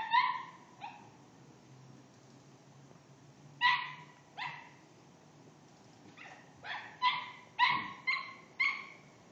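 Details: Barking dog taunted by a cat: a few isolated sharp yaps, then a long silence, then a quickening burst of five or six shrill barks close together.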